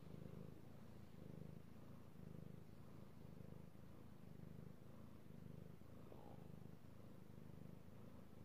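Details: Male domestic cat purring while being petted, recorded 16 March 2018: a soft, steady low rumble that swells and fades in breathing cycles, with no other sounds.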